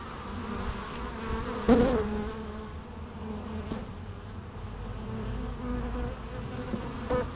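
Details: A bee zooms past loudly just before two seconds over a constant background hum of buzzing wings. The drone stays even for the rest.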